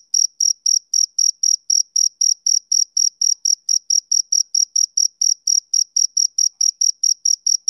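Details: Male cricket chirping on a summer evening: short, high, pure chirps repeated steadily at about four per second, even and rhythmic against a completely quiet background.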